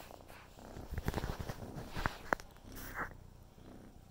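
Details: A kitten purrs as it plays with the camera, a low continuous rumble overlaid by bursts of rustling and tapping from handling, with a few sharp clicks.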